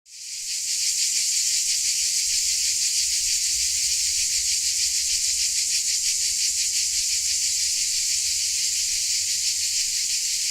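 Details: Crickets in Dalmatia forming a dense, high-pitched chorus that fades in over the first second, then holds as a steady shimmering hiss with faint rapid pulsing, roughly three beats per second; no other clear sounds.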